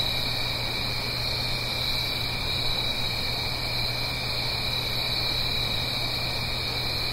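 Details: Autumn-night crickets up the hill from a stream in the Blue Ridge Mountains: an even, high-pitched pulsing trill persists throughout, over constant soft water noise and a low hum.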